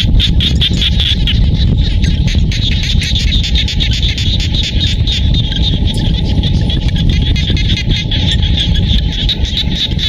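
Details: Rural Cambodian rice-field frogs near Siem Reap keep up a thick chorus of fast, repeated high-pitched pulses for the whole stretch. A continuous deep rumble of background noise accompanies them.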